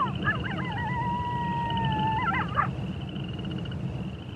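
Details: Single wolf howl: a wavering onset settles into a long, smooth, slightly falling tone that ends in a quick warble. A continuous high insect buzz and low background rumble are also heard.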